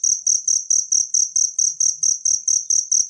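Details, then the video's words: Wild cricket calling, meant as training sound for songbirds: a steady train of bright, tinny, very high chirps, roughly four per second, loud and clean with no other sounds. "suara jangkrik alam"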